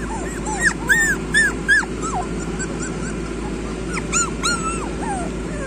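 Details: A group of street puppies yelping: bright, curved whimpers repeat roughly every half second in bursts, pausing briefly mid-clip before another cluster of rising-falling squeals, over steady low hum.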